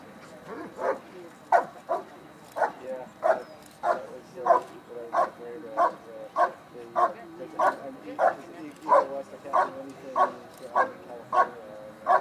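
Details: Dog performing a bark and hold at the 2013 Schutzhund USA Nationals, an IPO trial event; steady, forceful barks repeated roughly every half second to second, loud and harmonic-rich, with faint crowd murmur behind.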